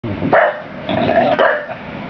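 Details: Dave, a big 25 kg bulldog, plays with a four-inch woolly toy sheep, giving two short, rough barks about a second apart, followed by a person's voice urging him on.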